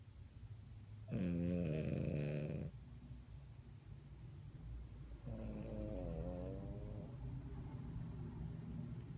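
A French Bulldog snores in two long, rasping breaths, each a coarse, rattling drone lasting nearly two seconds.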